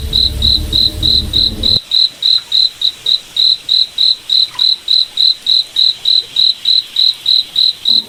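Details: Night forest cricket giving evenly spaced high chirps, roughly three or four each second. A low rumbling drone fills the opening moment, then the chirps continue alone over quiet background.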